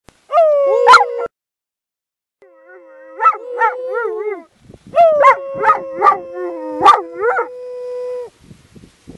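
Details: Irish Wolfhound named Cleo howling near horses in July 2013, prompted by her owner; a long steady howl held near one pitch, broken by short yelping rises and falls, with a pause midway and a second sustained howl.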